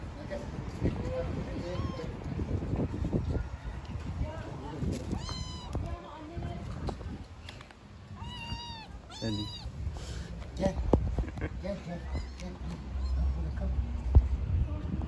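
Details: Little kittens meowing: several short high meows with rising and falling harmonics, some in quick runs around the middle, over steady low rumbling noise and some speech.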